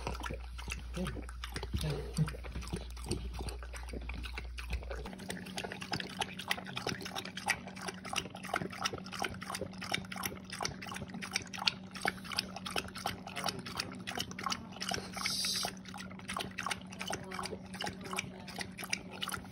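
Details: A thirsty French bulldog drinking water, lapping in fast, steady wet clicks several times a second throughout, over a constant low electrical hum, with a deeper drone in the opening seconds.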